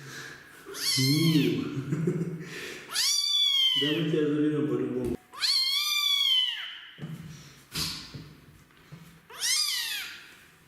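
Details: Loud, drawn-out meows from a kitten unwilling to be bathed, four arched harmonic cries with a rough, wailing edge, separated by bursts of splashing or rustling noise and a brief human voice.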